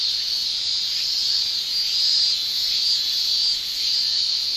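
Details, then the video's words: Japanese cicadas in summer, males singing with their tymbals: a dense, continuous shrill buzz held at a high pitch, steady with slight swells in loudness, no other sounds. "Japan Summer Cicada Shrilling"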